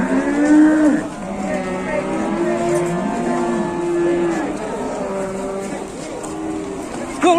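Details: Fierce cattle coming down off a truck at an Indonesian livestock unloading bellow in long, drawn-out moos, several overlapping and held for seconds at a time, with a murmur of people and engine noise behind.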